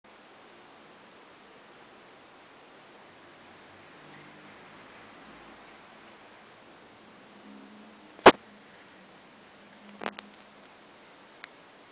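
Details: Soft steady hiss in a quiet room, broken by a few sharp knocks and clicks toward the end, with no animal calls.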